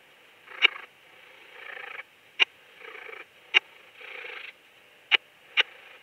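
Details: Raymond's bush-cricket singing at Lido di Spina, Italy, on 3 September 2021, picked up through a Pettersson D 100 ultrasound detector with noise removal: short hissing buzzes about a second long alternating with sharp isolated clicks.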